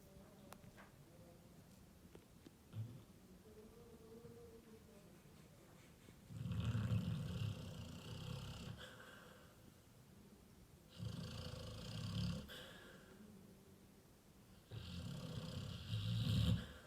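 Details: Labrador Retriever snoring very loudly: three long, rasping low snores, each lasting about two seconds and coming roughly every four seconds, with quieter breathing between them in a small indoor space.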